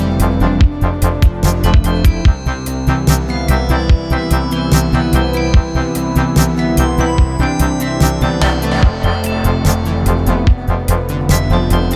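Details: Upbeat electronic music with a steady, driving beat and synthesizer notes; no animal sounds are heard.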